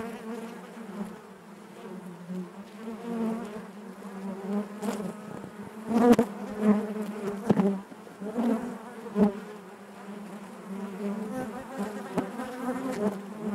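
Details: Honey bees inside their hive give a natural, dense low buzzing drone with layered overtones that swells and fades, louder around the middle, broken by scattered sharp clicks and taps.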